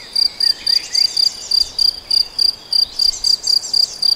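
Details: Shrill, evenly spaced chirps of a cricket in the Nagyerdő, Debrecen, roughly four per second, with light bird twitters behind.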